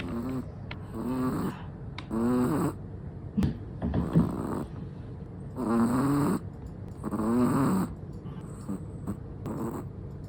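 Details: Sleeping Chihuahua, black and tan, snoring while relaxed: rattling nasal snores with a wavering tone come in bursts roughly every one and a half seconds, separated by quieter breathing gaps.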